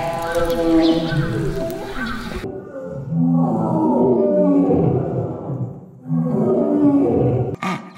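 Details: Zoo animals roaring: deep, rough, harmonic roars held for seconds, with an abrupt cut midway into a second stretch of rumbling roars that ends suddenly.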